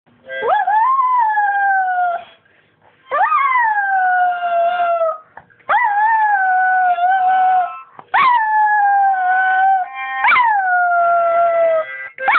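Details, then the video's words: Houdi, a pet dog, howls along while his owner plays harmonica: five long wavering howls, each opening with a sharp upward swoop and then sliding slowly down, separated by short pauses about every two seconds. "singing howling dog"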